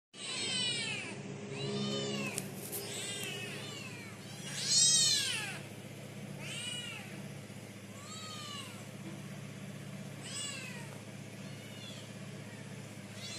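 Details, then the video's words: Hungry stray cats after a mother cat gave birth, meowing loudly: a series of high, arching meows, some overlapping, repeated every second or two, one especially loud cry near the middle, with a low background rumble. "Stray Cats Meowing So Loudly Cause Hungry"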